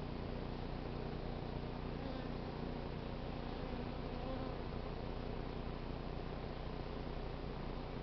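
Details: Honey bee swarm being hived from a crape myrtle tree in South Pasadena, queen inside, stragglers filing into the new hive entrance and fanning wings to signal home; a steady, dense, low droning hum runs throughout without breaks.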